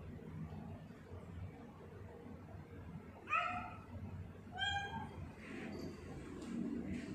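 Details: Sia, a pet tortoiseshell cat, indoors on 2019/10/21, gives two clear harmonic meows about a second apart. The first falls slightly and the second is shorter and rising, over a low steady room hum.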